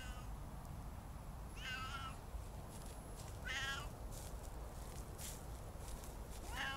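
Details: Siamese cats Otani and Yozora on an off-leash winter walk in their first snowfall of the season, on a silent forest hill, wearing winter coats. Three drawn-out, wavering meows spaced a couple of seconds apart over a steady low outdoor rumble.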